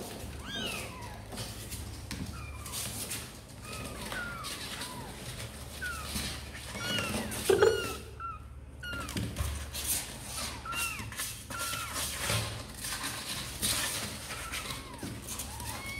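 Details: Sor and Kapov's kittens, apparently wanting to come out and play, mewing constantly: many brief, high, arched cries overlapping from several kittens, with a brief thump midway and steady low hum.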